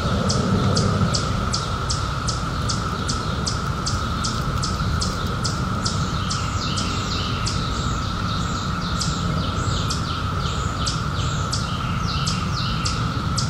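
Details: Summer night cicadas, out in 2021 after 17 years hidden, hold a level buzzing drone while fast high chirps tick steadily over it, with heavy low-frequency background rumble throughout.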